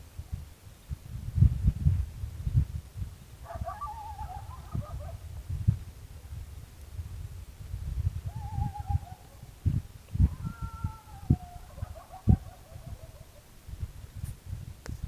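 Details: Coyotes, called new neighbors, heard at night near a remote campground in farmland just north of Dallas-Fort Worth, Texas: distant wavering high howls rising and falling in short bursts, over steady low rumbling and thumping background noise.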